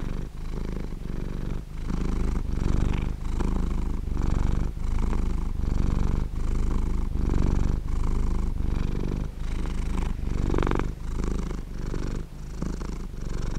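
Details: Sleeping cat purring steadily, a continuous low rumble broken into short phrases roughly every half second to second by brief breath pauses; recorded close up indoors with no other sounds.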